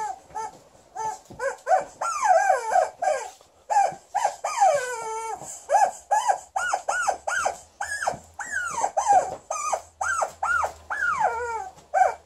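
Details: Angry at a new chicken toy, female Alaskan Malamute Liza lets out rapid, repeated yodelling arches of sound, roughly two per second, each swooping up and down, with one longer wavering moan midway and a steady thin high tone behind.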